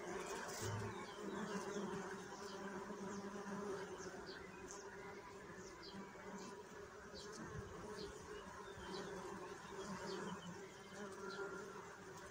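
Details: Continuous droning buzz of bees, a thick low hum with stacked overtones that swells and eases slightly over time. Scattered faint higher flicks of sound run through it.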